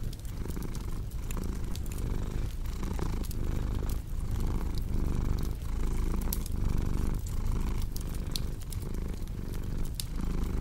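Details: Deep, continuous cat purr pulsing in breath cycles under frequent sharp crackles from a cozy fireplace.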